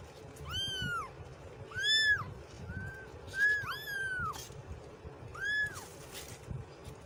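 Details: Kitten meowing in separate arched cries about every second or two, each with strong bright harmonics, one brief softer mew among them, over low background rumble.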